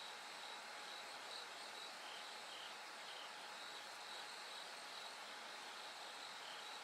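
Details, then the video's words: Bell cricket singing as night gradually brightens toward dawn: a thin, high, ringing tone in short repeated pulses, steady throughout, over a constant broad hiss of background noise. "bell cricket Cry of falling insects"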